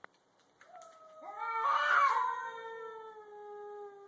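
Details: A grey-and-white stray cat and a black cat about to fight in a garage: a loud rising yowl that swells to a harsh, strained peak, then fades into a long, steady, slightly falling wail.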